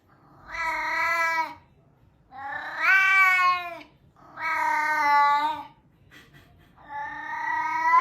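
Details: Drawn-out, steady cat meows used to call cats over, four long harmonic cries roughly two seconds apart with brief quiet between them, sounding almost like a crying baby.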